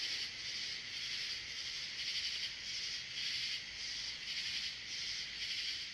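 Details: US katydid calling: a harsh, high rasping chorus swelling and fading in even pulses roughly every second, with nothing else heard.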